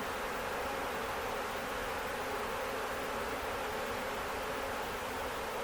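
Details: A dense, steady hum of many western honey bees from a docile swarm collected into a hive box with brood comb at a farm in Ontario on May 11, 2025, with no breaks.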